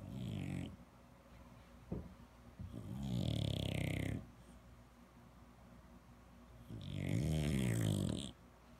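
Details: French Bulldog in Palo Alto, California, making low grunting snores: two long, loud rattling grunts of about one and a half seconds each, separated by softer snuffling breaths and a brief click.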